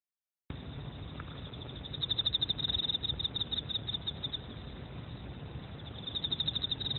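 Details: Emma field cricket chirping: a high, steady ringing tone broken into rapid pulsed trills that grow louder in bursts partway through and again near the end, over a low rumbling background hum.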